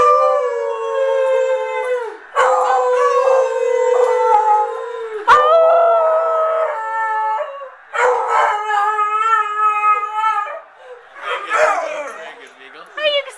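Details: An excited beagle, prompted by its owners during a Super Bowl celebration, gives long, wavering baying howls, each held for a couple of seconds before breaking off.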